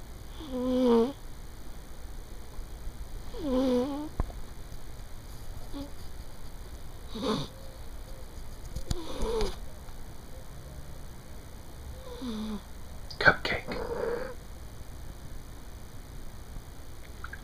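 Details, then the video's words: Fifteen-year-old pet cat asleep on a bed at midday, snoring: soft nasal breaths every three seconds or so, growing fainter and rougher later, with small rustles and a steady background hum. "snoring cat"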